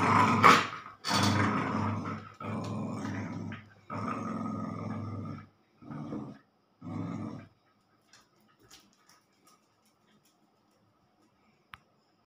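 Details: Tug of war between Snoopy and Cion, a German spitz and a labrador. Six gruff growling bursts, loud at first and then shorter, stop after about seven seconds. Faint clicks and a sharp tap follow in near silence.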